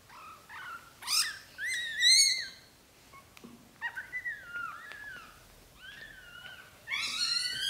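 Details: Mother British Shorthair moving newborn kittens into a small nest indoors; a loud series of high, harmonic-rich mews, some rising sharply and others sliding downward, in bursts with brief gaps, plus a few soft clicks.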